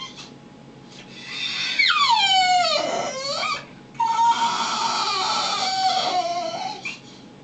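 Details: Brutus, a pet dog indoors at home, whining and crying: two long drawn-out whines, the first sliding steeply downward from a high pitch, the second steadier and slowly falling, separated by a brief pause.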